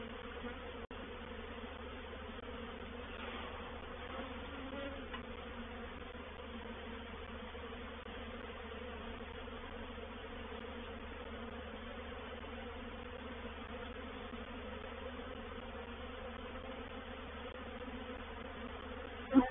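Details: Many honey bees from a reproductive swarm moving into a bait hive at Painted Peacock Manor, 04/07/21; a low, even buzz drones on steadily, with a short knock at the start and another at the end.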